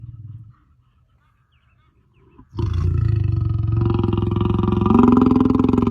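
A lion gives a deep, rumbling roar that bursts in after a short silence and holds steady.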